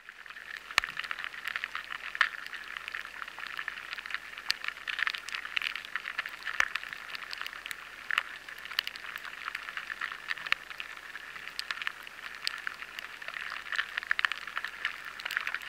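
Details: Lesser grain borers feeding in a batch of stored barley, captured by a high-sensitivity recorder: a constant fizzing crackle like rain pattering on tarmac, with scattered sharper ticks throughout.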